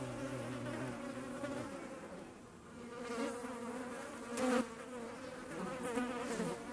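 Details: Hornet hunting flies in the Eifel, Germany: a low droning buzz with steady harmonic bands, rising and wavering as it flies, a brief louder pass midway, over quiet outdoor background.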